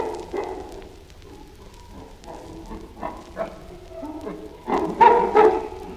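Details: Chimpanzee giving a run of low, rough grunts, short voiced bursts that start soft and grow louder and denser toward the end, ending in a few stronger, harsher grunts.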